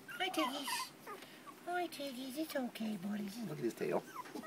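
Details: Four-week-old terrier puppies: thin high whimpers and squeaky yips overlapping in quick, wavering bursts, with a person's voice calling to them.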